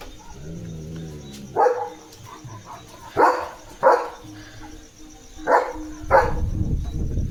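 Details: Night guard barking from Leo the German Shepherd at the house gate as rain starts: sharp barks in pairs and singles roughly a second or two apart, with chirring insects and a rumble of wind or rain at the end.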